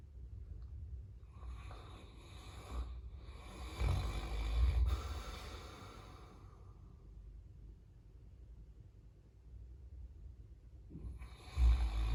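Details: Caucasian Shepherd known as Number 1 asleep in an entryway, snoring softly: low rumbling breaths with a few louder snorting bursts, quiet stretches between, recorded indoors.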